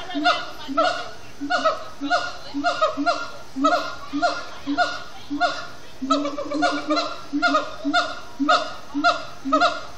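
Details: Captive siamang gibbons singing at sundown at Disney's Animal Kingdom: a dense chant of loud, downward-sliding barking notes over steady low hoots, repeated roughly twice a second with overlapping voices.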